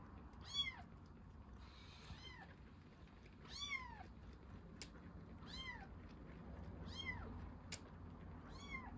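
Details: Tiny rescued kitten drinking milk, mewing in bright rising-falling cries roughly every second or two, six clear calls, with faint clicks and a low background hum.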